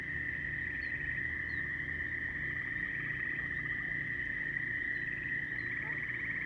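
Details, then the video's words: Many frogs call together as a constant high-pitched ringing drone; several short, fast pulsed trills break in at intervals, one lower rattling burst near the middle, plus a few faint chirps higher up. "A lot of frog calls"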